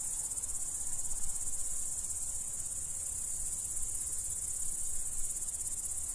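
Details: A chorus of crickets from the Dominican Republic producing a dense, constant high-pitched shrill, steady throughout, with a faint low rumble underneath.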